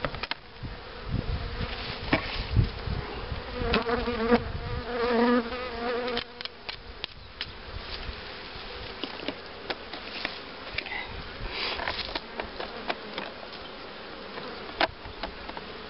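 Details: Honey bees buzz around a hive during preparation for queen rearing, with a queen-cell starter hive and a box of breeder queens. A nearby bee makes a loud, wavering buzz for a few seconds, then a softer colony hum continues under sharp handling clicks.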